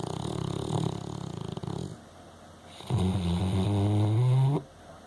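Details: Pet dog Frankie snoring: a harsh, vibrating snore, a short silent pause, then a drawn-out, deep, groaning inhaled snore that climbs gradually in pitch and stops abruptly.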